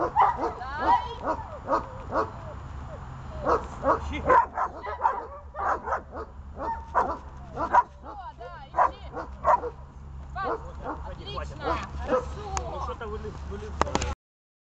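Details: Dog at the start of training in holding a decoy, barking in rapid, insistent bursts almost without pause, mixed with a person's voice and a constant low rumble until a sudden stop near the end.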